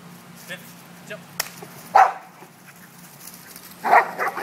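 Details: Pet dog Dani, playing aggressively with another dog named Bentley, gives two loud rasping barks about two seconds apart, with faint voices, small clicks and a steady low hum around them.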